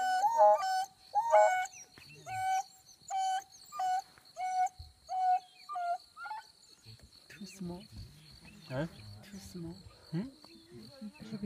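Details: Wild dogs give a run of short, level, tonal notes at a steady rhythm for about six seconds, then fade into lower, rougher, murmuring sounds and faint background noise.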